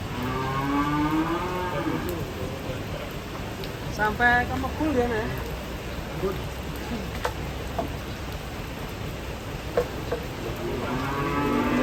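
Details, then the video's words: Cow lowing during unloading from a truck in rainy weather: a long wavering moo opens, a rising call follows around four seconds, and another begins near the end, amid rain noise, occasional knocks and low rumble. "SAPI LUCU BIKIN GEMES LONCAT TURUN DARI TRUK"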